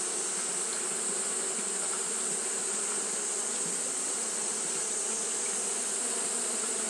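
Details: Japanese honey bees fanning in hot weather give a constant, many-winged hum, low and grainy, topped by a steady high hiss that never breaks.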